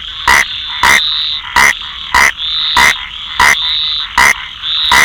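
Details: Close rain frog calls: eight short, sharp, bright chirps in quick succession, about one every two-thirds of a second, over a steady shrill frog chorus.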